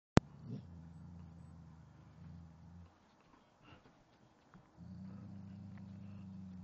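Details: Boxer dog, scared of a teddy bear, growls at it indoors. A low, rumbling growl holds steady for nearly three seconds, breaks into a quiet pause with faint scuffs, then resumes as a long, even growl.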